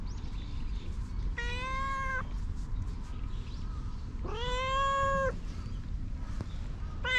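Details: Stray cats outdoors calling with two drawn-out, harmonic-rich meows about a second long each, a third starting at the end, over a steady low rumble of background noise.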